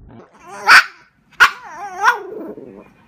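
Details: Female Pekingese dog barking, heard at normal speed: three sharp, high barks about two-thirds of a second apart, each trailing into wavering whiny, yodel-like tones, the last sliding down into a soft grumble.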